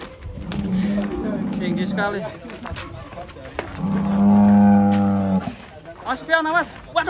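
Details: Two long, level moos, each about one and a half seconds, from a massive fattened cow at Setia Farm loaded on a rocking truck, with people's voices between and after the calls.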